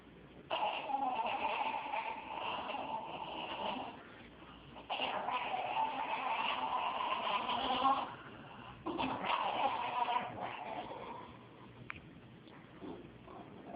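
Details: A female Jack Russell Terrier gives long, wavering whine-like yowls in reaction to a cat, unusual sounds the owner had never heard from her before, as if she were about to vomit.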